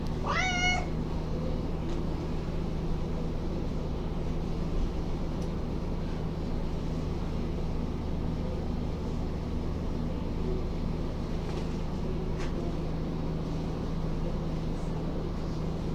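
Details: A domestic cat named Ava, a little female, meows while cabinets are being cleaned and rearranged indoors; one short rising-then-falling meow at the start, followed by a steady low household hum and a faint click.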